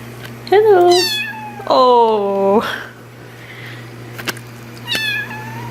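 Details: Domestic cat, indoors, letting out two loud, complaining meows, the second long and sliding downward, then a shorter meow later, with a person talking to it in between.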